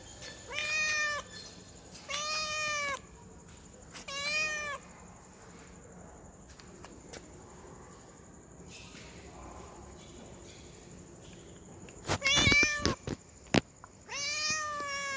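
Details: Domestic cat, a female in heat calling a male, gives repeated rising-then-falling meows, three in quick succession, a quiet gap, then a sharp burst of clicks and another meow near the end.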